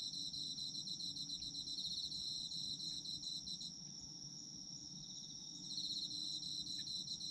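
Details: Autumn insects in a sleep-oriented recording: a dense chorus of high, steady trilling and rapid pulsed chirps, several callers overlapping, some fading in and out, over a soft low background hum.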